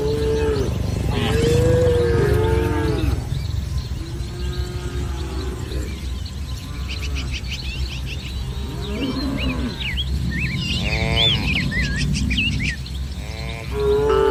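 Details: Village cattle herd milling about a lush green field in the morning: several low, rich moos rise and fade across the stretch, against a steady low rumble, with bursts of bird chirps and trills in the background.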